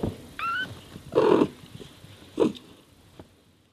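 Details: Domestic cat mother talking to her kittens while caring for them: a thin, high, slightly rising squeak, then a loud, low, throaty meow-like call, and a second shorter call about a second later, fading to quiet.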